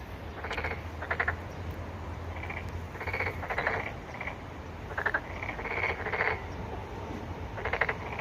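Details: Frog or toad calls, possibly a Korean narrow-mouthed toad, in short buzzy pulsed bursts repeated irregularly, several callers overlapping, over a steady low hum.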